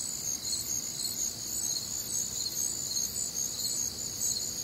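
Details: On a warm, humid summer night in the Midwest, many crickets trill together in a high, even chorus, rapid chirps overlapping in steady pulses of about two per second, with a soft low murmur beneath.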